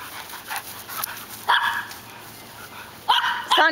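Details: In a yard, a catahoula mix, a rottweiler mix and a weimaraner run and chase one another. Short sharp barks come in quick bursts, with a person calling out between them.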